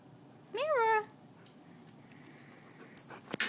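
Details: Pet dog being teased by its owner gives one short rising-then-falling whine with rich harmonics, followed by quiet room tone and a brief rustle near the end.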